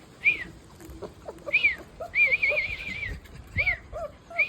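Rottweiler puppies whimper in high, thin arching whines, one drawn out longer than the rest.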